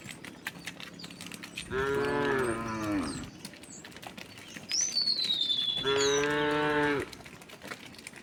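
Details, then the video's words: Cows among a large herd of tame cattle walking leisurely along a road toward their resting place; two long harmonic moos, each over a second, separated by a pause, with high bird whistles and background clatter. "the sound of cow all along the way"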